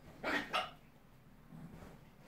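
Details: Dog in a fight between a pit bull and a West Highland White Terrier: two sharp barks in quick succession within the first second, followed by faint low rumbling.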